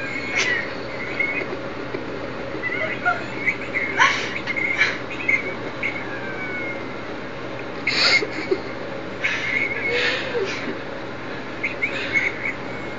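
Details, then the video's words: Lola the French bulldog cries in repeated high, thin whines, some sliding down in pitch, mixed with sharp snorts and sniffing bursts spaced every few seconds. "Lola the French Bulldog Crying!"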